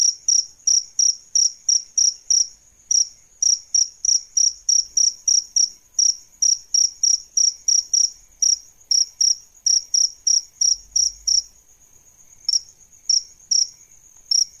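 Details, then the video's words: Male and female adult crickets, kept as song tutors for songbirds: loud, high, clean chirps repeated about three per second in an uneven rhythm, with a short pause near the twelfth second. "Suara JANGKRIK Jantan dan Betina"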